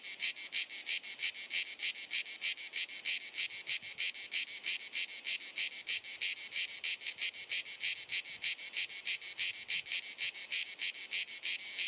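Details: Cicadas in Dalmatia, Croatia, in summer heat, recorded on a compact camera: incessant high-pitched rasping chirrup pulsing about three times per second, unbroken from start to finish.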